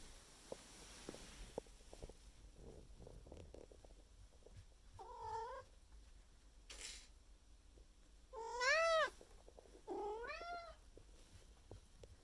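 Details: Maine Coon cat indoors in the morning, May 2021, loudly demanding food after trying to wake its owner; scuffling and soft thumps first, then three drawn-out harmonic meows, the last two loudest with a rising-then-falling wail.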